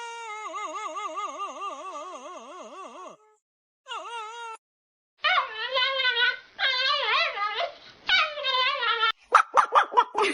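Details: Dog producing a strange wavering whine that quivers rapidly up and down in pitch, broken by short silences, then several louder rippling yodel-like phrases and a few sharp high yips at the end.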